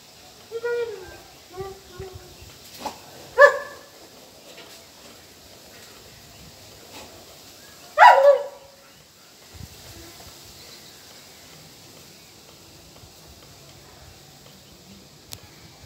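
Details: A dog during a training session at home: a few whiny, tonal yelps early on, then two sharp, loud barks several seconds apart, with a person speaking in the background and quiet room noise between.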